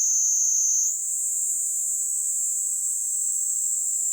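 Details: Kaempfer cicada on a person's hand in Kanto, Japan, in July, with a loud high buzzing song that shifts abruptly to a slightly higher, fuller drone after about a second and carries on evenly.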